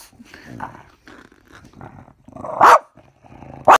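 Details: A male French Bulldog growls in low, rumbling bursts while play-fighting with his owner and copying him, then lets out two sharp, loud barks.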